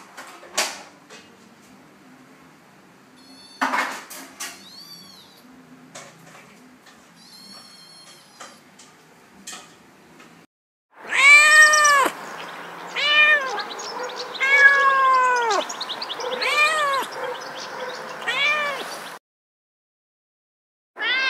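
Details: Domestic cat indoors: soft clinks of dishes and a cupboard first, then a run of loud, arched meows, rising and falling, repeated roughly every second for about eight seconds before a short pause and one more call.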